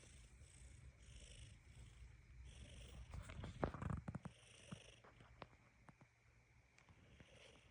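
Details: Cat purring: a low, steady rumble running through the whole stretch, joined in the middle by a burst of sharp clicks and rustling handling noises.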